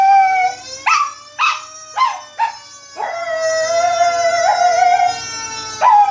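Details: Baby, a pet Chihuahua, howls at fire engine siren sound effects. Several short yelping howls in quick succession, each sliding upward then dropping, lead into one long wavering held howl that ends with a fresh upward yelp.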